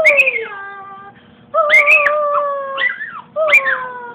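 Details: Happy dogs sing along with their owners: sustained, wavering howls that slide downward, starting high with sharp yips, in three long phrases separated by short breaks.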